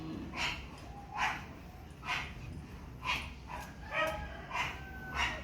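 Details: Pomeranian at Parkhomes, Muntinlupa, giving short, sharp yapping barks in a steady series, about seven in five seconds and roughly one every 0.8 seconds, with a low background hum underneath.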